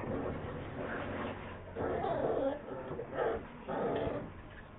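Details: Bull Terrier puppies give short, thin whimpers and yips in a few quick bursts, recorded in Bogotá in July 2013.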